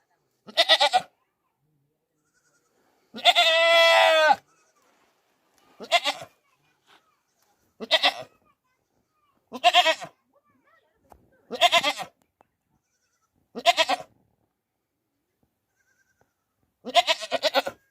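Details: A goat gives loud, harsh, human-like screams, repeated every couple of seconds.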